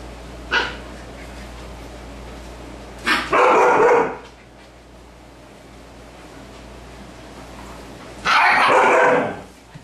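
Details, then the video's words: Siberian Husky barking at puppies at play: one short sharp bark, then two longer harsh, rough bursts of barking about five seconds apart, with a steady low hum underneath throughout. "Husky Barking at Playing Puppies."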